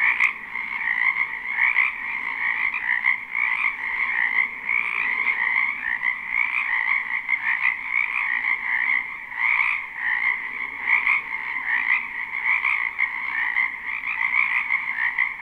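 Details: Live spring recording of numerous frogs croaking in a wetland behind a house; a thick, ringing chorus keeps up throughout, its volume rising and falling in quick irregular pulses, with a single click at the start.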